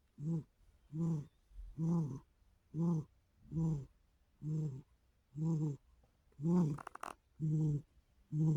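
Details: Sharpshooter the cat sleeps deeply after a rough night of play, snoring in a steady low rumble; about ten regular snores, one per second or so, with a brief faint click near the end.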